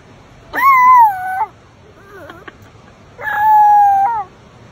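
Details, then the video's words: Puppy howling: two drawn-out, tonal howls of nearly a second each, rising sharply at the start and then sliding gently downward, separated by a softer, wavering whimper in the pause between them. "Awwww baby howls"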